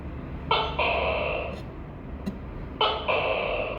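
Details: Tokay gecko giving two loud two-part calls about two seconds apart, each a brief sharp note then a sustained harmonic nasal syllable, over a quiet low hum and a single click.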